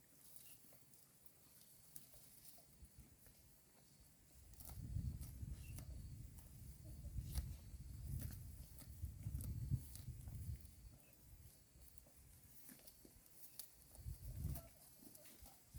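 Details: Roadside herd of cows grazing green grass: soft low chewing and tearing in loose rhythm, swelling into a longer bout of crunching midway, then fading to quieter bites with occasional clicks.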